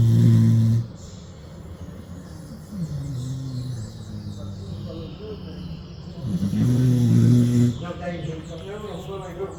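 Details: Sleeping pit bull on a porch: a low, droning snore opens the stretch and another comes about six seconds later, with wavering voice-like sounds in between.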